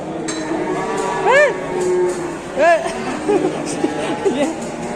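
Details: Angry, rampaging female cow in Indonesia, agitated among handlers: two short arched bellows, rising then falling, about a second apart, followed by softer grunts, over constant excited human talk and clinking.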